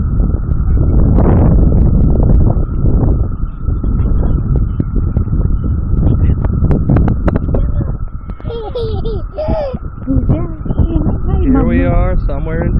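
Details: Locusts in Goochland, Virginia sing in a steady, high droning chorus, with low rumbling and people talking nearby.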